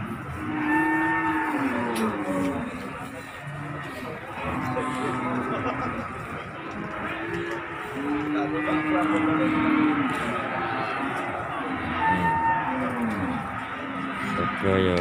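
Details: Cattle unloaded from a truck at Margorejo market, Pati, on 13 May 2020: several long, low moos with steady harmonic bands, overlapping one another across the clip, amid market chatter and crowd background noise.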